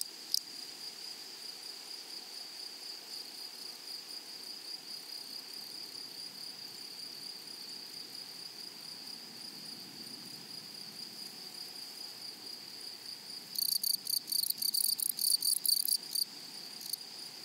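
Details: A steady high insect hum from grasshoppers in a flowering meadow runs for most of the clip. Near the end a closer insect breaks in with loud, rapid, rasping pulses, roughly two per second, stopping and starting.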